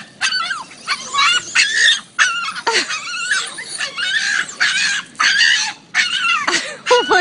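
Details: Boston Terrier screaming in excitement, as he does when excited, a run of shrill, wavering yelps and squeals.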